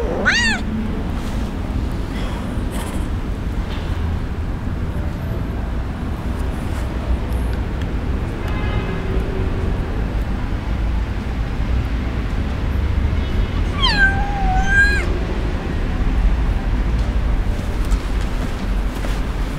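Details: Kitten abandoned by its owner and crying in the street, where it awaits rescue. Several high, thin meows come minutes apart, with a short one at the start, a faint one mid-way and a clear falling cry near the end, over constant street rumble.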